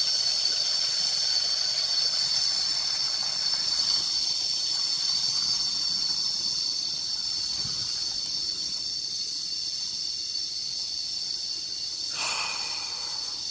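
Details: Long unbroken cicada drone heard while resting outdoors on a walk: a bright, high, sizzling hum that fades slightly over time, with a short sharp higher sound briefly cutting in toward the end.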